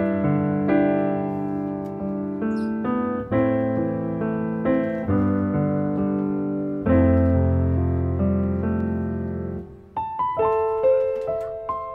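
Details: Piano music plays throughout, with no animal sounds heard.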